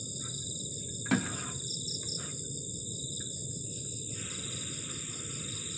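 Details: On a cold night by a garden shelter at the forest edge, crickets keep up continuous high trills at several pitches. A sharp knock comes near one second, and a broad low hiss lies beneath.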